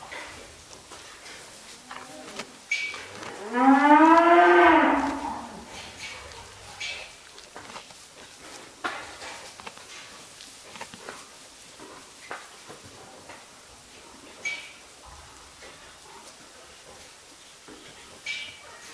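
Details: A Japanese Black cow with both hind legs amputated gives one loud, drawn-out moo lasting about two seconds. The moo rises and then falls. Quiet shuffling and small knocks follow it.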